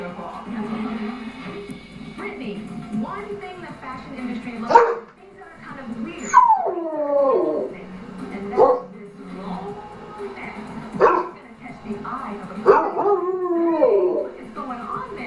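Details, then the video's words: Arran, a pet dog who likes to sing with other dogs, giving falling whines and short yips with pitch bends at irregular intervals over a steady low drone and voices. "Arran's singing"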